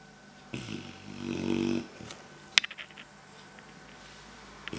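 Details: Clumber Spaniel puppy snoring indoors, worn out after a morning of outdoor play with an older dog; one buzzy, rumbling snore lasting just over a second, then a few soft clicks and rustles in a small room.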